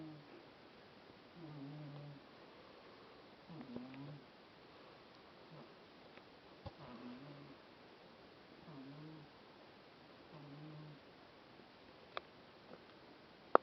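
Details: Cat lying stretched out in the sun, snoring. Low, humming snore breaths return roughly every two seconds, gentle and even, with a few sharp ticks and clicks in the background.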